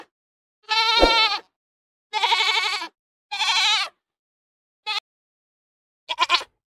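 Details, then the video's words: Goat bleating in long wavering calls, three drawn-out quivering bleats followed by two brief clipped ones, with a sharp click during the first. "Goat Voices"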